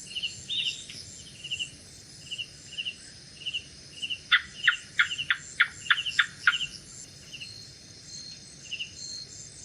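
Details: Gecko calling at night: a run of about eight sharp, dry clicking chirps over roughly two seconds, each a quick broadband tick. Steady pulsed cricket trills and a high insect hiss continue throughout.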